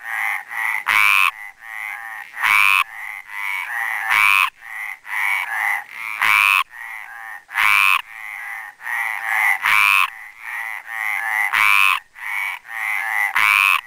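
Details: Loud croaking from a male Mediterranean tree frog (Hyla meridionalis) at the Planxista pond, Garrotxa. It is a steady series of raspy, nasal pulses in tight groups, broken by short silent gaps, with no other animals audible.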